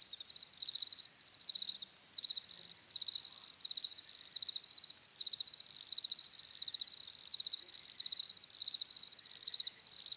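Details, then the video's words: Several crickets keep up a bright, high trilling, each burst made of quick pulses repeating several times a second, with a brief lull near the two-second mark before the chorus resumes unbroken. "CRICKETS CHIRPING SOUNDS"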